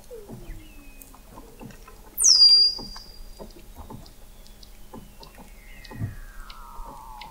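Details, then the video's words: Weddell seals in the frozen Southern Ocean, McMurdo Sound, Antarctica, November 2017, recorded 21 m below the sea ice: a loud piercing high chirp sliding down, then a long descending whistle and soft lower glides among faint pulses. "Song of the Antarctic Weddell Seal"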